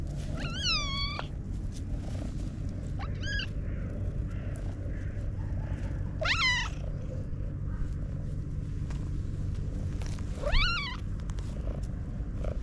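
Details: Content black domestic cat mewing like a little kitten: four rising-then-falling meows, high and harmonic, spaced a few seconds apart over a steady low rumbling purr-like hum.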